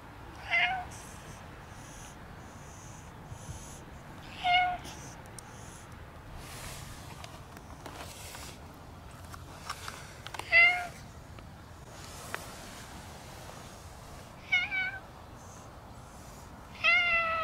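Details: Black cat meowing repeatedly and rubbing against a visitor at a shrine; five short, bright meows spaced a few seconds apart, some doubled, between quiet stretches with faint rustling and outdoor background.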